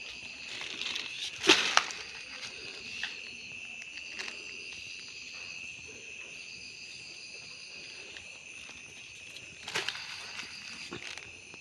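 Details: Cricket trilling while crickets are caught by hand: an unbroken high, thin buzzing tone runs throughout, cut by two loud crackling bursts of handling noise near the beginning and again toward the end.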